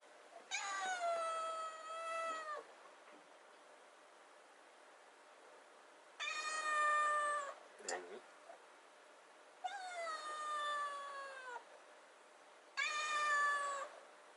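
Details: Rescued kitten, 96 days after being saved, waiting in front of the fridge for wet food, gives four long harmonic meows, each about two seconds and slightly falling, spaced roughly every three to four seconds in a quiet room.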